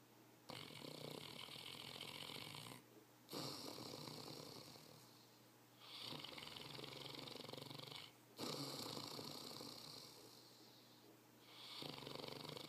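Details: Saint Bernard named Max, tired and sleeping, snoring loudly: long broad rasping inhalations lasting two to three seconds, separated by brief quiet pauses, repeating steadily through the recording.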